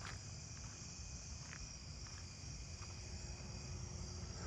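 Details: A Columbian trig, at first mistaken for a fall field cricket, gives a thin, high, continuous trill over low background rumble in a residential neighbourhood.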